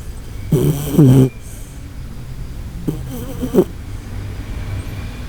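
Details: Koharu, a Shiba Inu, asleep and snoring loudly, with two long, tonal, honking snores, likened to the Titanic setting sail, each about half a second long and spaced roughly two seconds apart, with rasping, wavering pitch.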